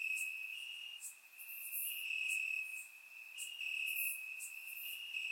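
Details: Crickets singing in the grass during a warm summer night in Bulgaria; a constant high ringing trill stepping slightly up and down, with several sharper, higher chirp bursts scattered through the few seconds.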